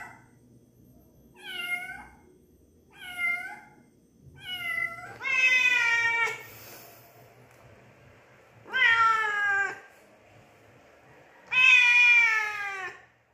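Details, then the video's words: Domestic cat meowing, three short soft rising-falling mews followed by three louder, longer drawn-out meows spaced a few seconds apart, with a faint low hum underneath. "Cat Meow Sounds"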